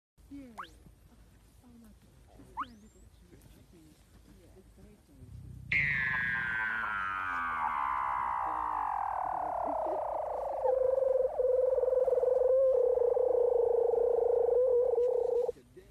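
A seal gives a long, tonal call that slides steadily downward and then holds a low, wavering note.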